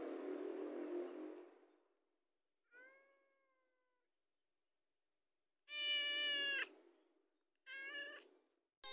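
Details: Pet cat asking to be fed: after a stretch of rustling noise, one soft meow, then two loud harmonic meows in quick succession.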